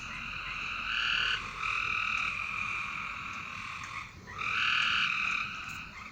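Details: Frogs trilling in the night: a long, even, buzzy trill running for about three seconds, a brief break, then another strong trill starting.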